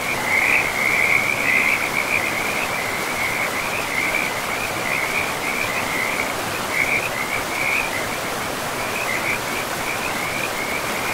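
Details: Frogs by a river in a pristine forest give a continuous chorus of rapid, trilling calls in a steady high band, with a broad rushing roar of flowing water underneath throughout.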